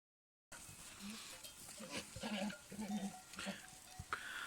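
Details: Male goat in rut calling while trying to win over the females: low, short grunting pulses in quick irregular bursts, about two per second, over a steady background hiss.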